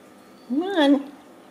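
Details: Ragdoll kitten from a home cattery in central Kansas, raised without cages, gives one short clear meow that rises and then falls in an arch with rich harmonics, inside a quiet room.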